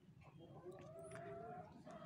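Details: Garut sheep (domba Garut), a ram kept by a Garut sheep breeder, bleating in a drawn-out wavering cry lasting over a second just after being bathed, with a short second bleat near the end and low background hum.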